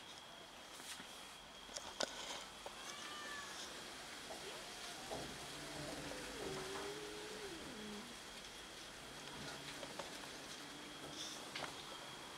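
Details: Domestic cats fighting over food: a drawn-out, wavering meow that slides down then rises, after a few shorter cries, over a steady background hum and a constant high tone.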